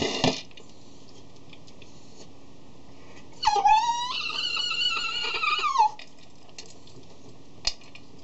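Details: Before eating, the 3-year-old Cavalier King Charles Spaniel Tigger bangs his dish with his nose and cries. A sustained high whine of about two and a half seconds, slightly rising then falling away, framed by light knocks of the dish indoors.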